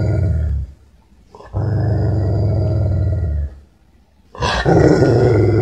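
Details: Angry, aggressive dog giving three low, throaty growls. The first is short, the second is sustained for about two seconds, and the last rises into a harsher, louder snarl after a brief pause.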